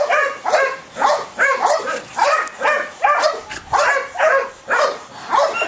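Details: Belgian Malinois showing high ball drive, barking in an excited, insistent series of sharp, clipped barks spaced roughly half a second apart, about ten in a steady pulsing rhythm.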